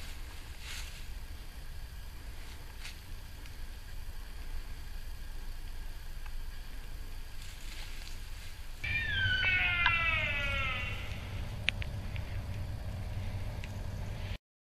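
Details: A sika deer (Cervus nippon) at RSPB Arne, Dorset, on 15 October 2013 gives a single high, harmonic scream that slides steeply downward over about two seconds.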